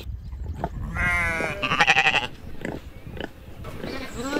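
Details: Sheep on a farm bleating: a wavering harmonic bleat followed by a second pulsing, quavering one, then quieter grunting and rustling with another faint call at the end.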